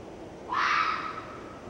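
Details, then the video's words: Vixen red fox giving a harsh, strained scream that rises abruptly, then holds a raspy, harmonic-rich tone before trailing off, set against steady low background noise. "Red Fox vixen's scream"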